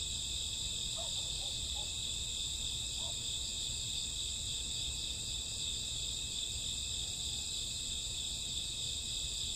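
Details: Summer or autumn night crickets, an unbroken high trilling chorus in steady bands, with a few faint, brief mid-pitched chirps near the start.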